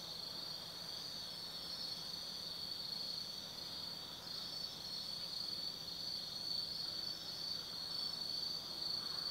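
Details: Autumn insects chorusing at night in the forest of Tsukimi no Mori, Kaizu, Gifu, Japan, above the Nobi Plain: a dense, steady high-pitched trilling drone with faint overlapping chirps, continuous throughout.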